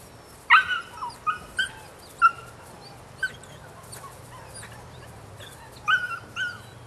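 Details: Nine-week-old female puppy from Rodin and Katana yipping in short, high, scattered bursts, a sharp yelp at half a second then softer squeaky cries spaced over several seconds with quiet gaps.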